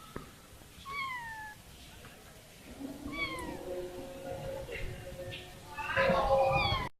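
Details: Kitten separated from her family gives thin, high meows that slide downward, spaced a couple of seconds apart, over soft background murmur and a louder cluster of calls at the end.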